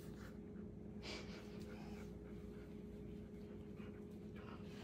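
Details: Panting from a Bernese Mountain Dog at play in a babies' pool: rapid airy breaths running through the whole stretch, quiet against a constant low electrical hum.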